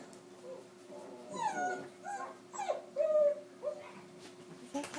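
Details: Dog reacting to newborn puppies indoors: a run of high, nasal whines sliding downward, several in quick succession, then a long steady whimper, in a small room with faint talking.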